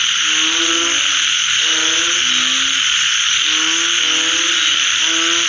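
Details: Frogs calling after rain: low, nasal croaks in short bursts of stacked tones, several callers overlapping and repeating every second or so, over a dense steady high hiss of insects or rain.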